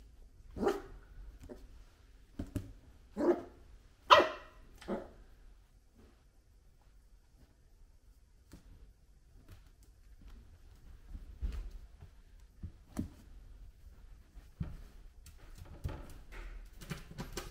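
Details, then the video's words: An 8-week-old male broken-coated Jack Russell Terrier puppy barks at his own reflection, giving a handful of sharp, high barks, then falls mostly quiet. "Buddy the Jack Russell Terrier puppy barks at his reflection"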